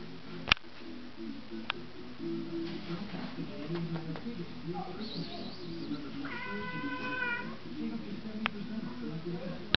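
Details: Male pet cat talking indoors, giving one clear drawn-out meow with stacked harmonics about two-thirds through, set against continuous low murmuring sound and a few sharp clicks.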